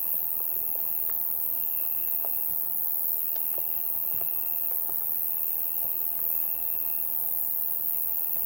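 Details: Insect chorus on a summer night, a continuous high-pitched shimmer overlaid by a mid-pitched buzzing trill that comes in several bursts lasting one to two seconds, with scattered faint clicks.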